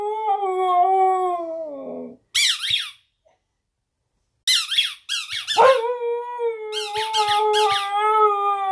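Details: Female Siberian Husky puppy Arya howling on a bed for her squeak toy; a sliding howl falls in pitch, then bursts of squeaky toy, a short pause, more squeaks, and finally a long, even, sustained howl.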